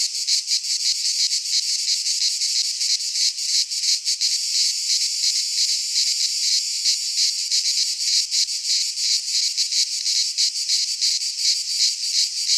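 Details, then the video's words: A midsummer chorus of cicadas in a Greek pine forest gives a steady, high, sizzling drone. Its rapid rhythmic pulsing swells and fades slightly across the whole stretch, with nothing else audible. "Cicadas singing in midsummer - Nature sounds from the Greek fauna - Sounds of cicadas"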